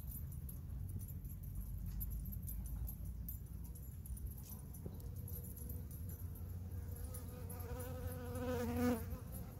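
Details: Honey bees foraging on artichoke flowers in August 2021; a low droning buzz with a wavering, fluttering tone swells from the midpoint and peaks near the end as a bee passes close, above a steady rumble of wind.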